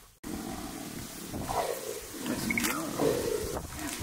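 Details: Male and female jaguar fighting as courtship in the Pantanal; a few seconds of rough, rasping growls and snarls rising and falling, with a sharp click at the start and low background noise.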